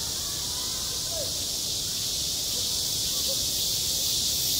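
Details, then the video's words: A midsummer cicada chorus over a school playground makes a continuous shrill, even wash of high sound. A couple of brief faint chirps rise underneath. "한 여름 운동장에서 매미가 울고 있다 - 여름의 소리, 학교 종소리, 매미 울음소리"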